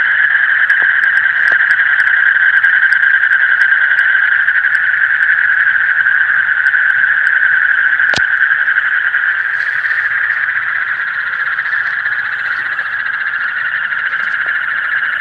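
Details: Frogs in the deep night keep up a continuous, even chorus of rapid pulsed calls at a steady mid pitch, with faint ticking above and a single sharp click midway.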